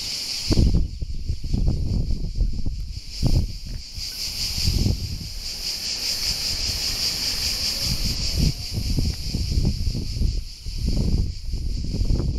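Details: Cicadas at Alberese, Italy: a steady, dense buzzing band runs unbroken through the whole recording, while low rumbling bursts of wind or handling noise come and go underneath.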